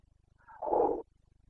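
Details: Carpathian red deer stag in the Bucovina mountains during the breeding season rut (boncănit), 29 September 2022: one short, hoarse roar lasting about half a second, swelling abruptly then cutting off over a quiet low hum.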